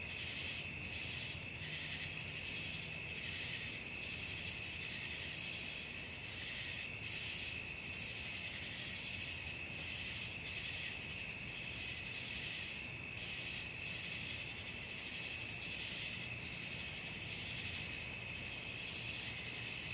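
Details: Crickets calling at night: a dense, unbroken high-pitched trilling chorus with steady shrill bands, gently pulsing in strength, over a faint low background hum.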